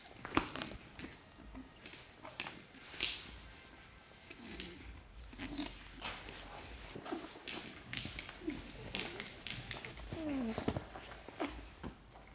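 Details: Four 8-week-old Shih Tzu puppies playing together indoors: soft, short whines and growly squeaks rise and fall at scattered moments amid steady scuffling, clicking paws and mouthing noises.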